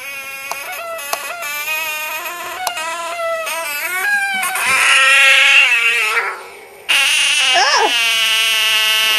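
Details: Frog screaming: loud, sustained, wailing cries with rich harmonic stacks that waver and bend in pitch, briefly dropping away before a second strong outburst.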